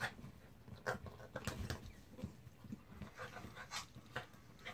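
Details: Quick breathy panting from Jack the mutt as he goes at a baby zebra, puffs repeating several times a second at low volume in a quiet room.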